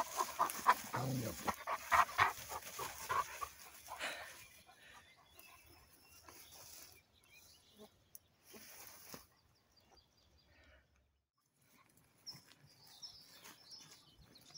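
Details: Central Asian Shepherd Dogs, the native alabai male Polvon with his puppy daughters, bred from stock taken from Tajikistan flocks; rapid breathy panting bursts with a few soft whimpers for about four seconds, then near silence with faint rustling.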